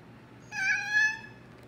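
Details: A domestic cat, said to seem to say her name, gives a single steady harmonic meow of about three quarters of a second with a two-part swell in loudness, recorded in a quiet room with no other sounds.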